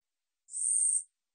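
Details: Katydid (Korean 우리여치), 2020 recording from Korea's National Institute of Biological Resources: a single dry, buzzy, very high-pitched burst lasting about half a second, clean and isolated against complete silence.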